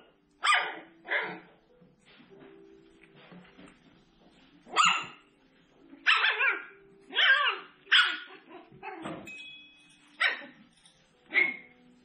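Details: Seven-week-old poodle puppies, a litter headed to new homes, give a run of short, high yapping yips and barks in bursts roughly every second, with quiet gaps and soft whines between them.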